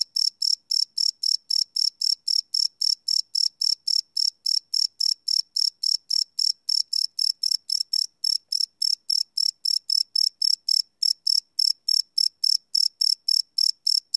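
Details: Cricket chirping at night, recorded live on a Sony PCM D100 field recorder: rapid, regular high-pitched pulses, about four per second, steady throughout with no other sounds.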